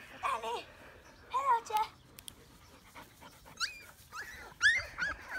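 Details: Labrador puppies born 29 April 2018 in a litter near Ravenna, Italy. Several short, high whines and yelps rise and bend downward, coming in bursts every second or so with quiet pauses between them. A faint background murmur runs underneath.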